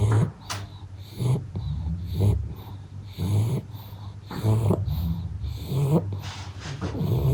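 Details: Sleeping pug snoring in a steady rhythm, a gravelly snort roughly once a second on each breath, low rumbling and nasal, indoors with no other sounds.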